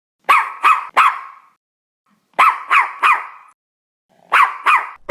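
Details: Small dog from a compilation of various breeds yapping in quick triplets: three high sharp barks, a pause, then three more, repeated three times.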